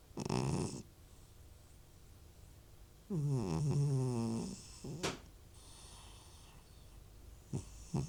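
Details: Old cat snoring loudly in a home, with retching also reported: two harsh, low rumbling snore bursts, the longer one about a second and a half, separated by quiet breathing and a few short snorts.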